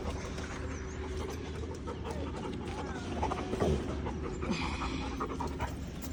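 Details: A Labrador Retriever in Indore pants heavily and makes low, rumbling grumbles and weird noises while enjoying being scratched.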